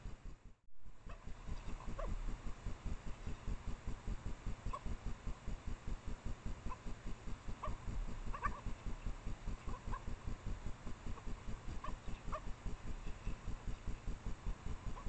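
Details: Midnight trailcam recording from late April near a female Japanese badger's sett in secondary woodland, where she and a male mate out of view. Brief high yelps come in irregular bursts, some doubled, above a constant pulsing low hum.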